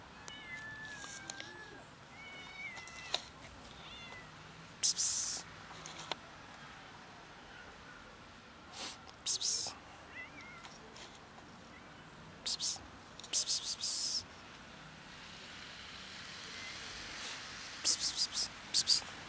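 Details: Fluffy kitten living on the street, giving several thin, high, slightly rising meows in quick succession early on, then quieter ones later, while loud breathy 'psst' calling sounds from a person break in repeatedly.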